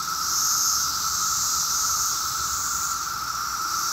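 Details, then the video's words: Seventeen-year cicadas in mass numbers, some up in a tree, on a summer day in Maryland: a loud continuous chorus of a sustained mid-pitched drone with a bright, hissing upper layer that swells slightly and fades, never pausing. "The 𝗿𝗮𝗿𝗲 sound of 17-YEAR CICADAS!!"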